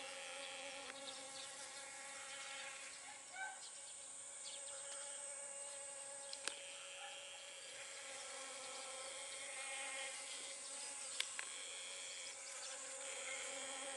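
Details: Pollinating honey bee at pumpkin flowers: a low, steady drone with stacked overtones that rises and fades slightly, with a bright hiss above and two brief sharp clicks.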